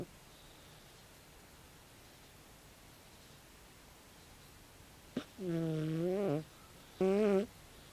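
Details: A 16-year-old calico cat asleep. After several quiet seconds, two loud droning snores arrive close together, the first gently curving in pitch, each preceded by a faint click.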